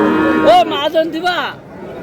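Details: Young bull calves at a cattle market, with a Madaripur farmer buying the smallest ones, in Bangladesh: a short arched moo rising then falling over about a second, with harmonic bands, following loud bargaining voices that fade to a quieter murmur.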